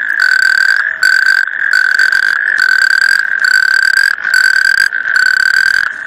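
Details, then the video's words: Natterjack toad calling: a loud, rattling, mechanical trill held for under a second, repeated about every 0.8 seconds with brief silent gaps, steady in pitch. "Canto sapo corredor"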